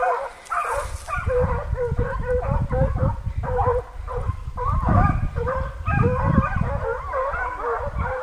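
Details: Six American foxhounds baying together after a deer during a hunt, a continuous chorus of overlapping hoarse, wavering bays and yelps, with strong low rumbling wind or handling noise underneath.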